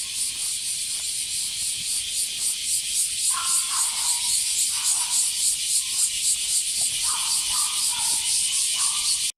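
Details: A strong cicada chorus recorded on a walk with a female Border Collie named Rin: a high buzz throbbing in fast regular pulses, about three or four per second, with scattered lower whistled bird phrases.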